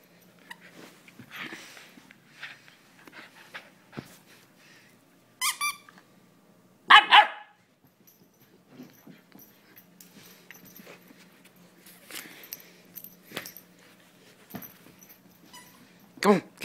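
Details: German Shepherd Sam, a female, at tug-of-war play indoors: scattered soft scuffles and a high squeak, then a sudden loud bark-like burst, with more sporadic noises and a final sharp vocal.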